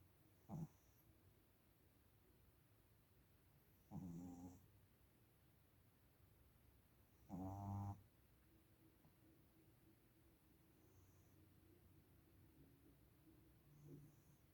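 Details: Mel, a small female Shih Tzu, asleep and snoring: three soft, rough snorts with low harmonics about three to four seconds apart, then fainter breathing over a quiet background.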